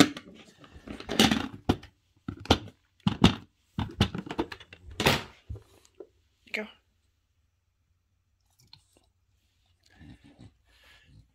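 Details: Indoor speech in short bursts over the first seven seconds, then near silence with faint soft knocks and chewing-like noises; no clear animal call.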